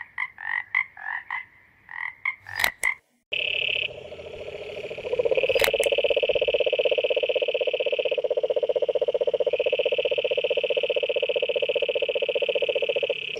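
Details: Toads croaking: a few short, rough, pulsed croaks at first, then a loud, steady, buzzing trill held for about ten seconds with an overlapping higher whine, plus brief clicks.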